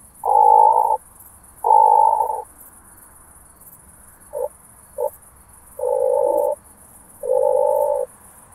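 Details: Oak bush-cricket, Meconema thalassinum, recorded via a Pettersson D 100 ultrasound detector at Starnberg, Germany, on 18 July 2023. Two long humming bursts are followed by two quick taps, then two more long bursts. Faint background hiss.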